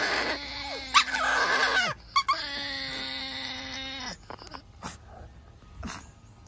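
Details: Chihuahuas arguing: two drawn-out nasal growls with a whining edge, then quieter grumbles and a single short yip near the end.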